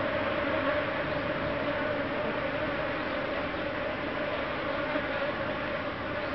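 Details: Asian honey bees from a beehive in the rainy season, on a humid morning or evening, crowding onto the contacts of a 230-volt AC socket and getting shocked; a steady, dense buzzing drone with a strong hum band that holds unbroken throughout.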